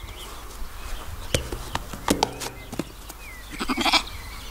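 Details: Lambs and sheep in a backyard garden bleat in short, wavering bursts with a few sharp clicks between them.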